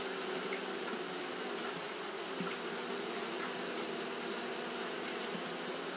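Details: Japanese honey bees fanning throughout a hot day: a steady, unbroken droning hum with layered low tones, under a constant bright high-pitched hiss.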